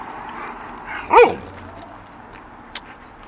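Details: Alaskan Malamute Pinga, a 13-year-old female dog wanting ice cream, gives a single short rising-falling yelp-like howl lasting under half a second amid quiet room noise.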